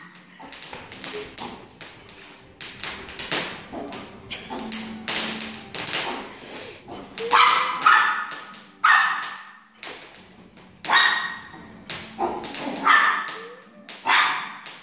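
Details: Excited Chihuahua gives repeated sharp, high barks and short yips in clusters, with some quieter whimpering tones and frequent tapping and knocking sounds throughout.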